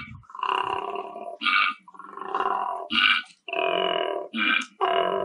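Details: A koala gives a rough, belching bellow, long grating groans alternating with short, higher snorting bursts.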